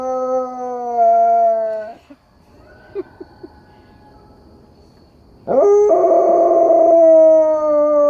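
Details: A dog howls in response to coyotes, a long steady tone sloping slowly downward, then a few short yips in a quiet gap before a second loud, rough-edged howl rises and holds steady.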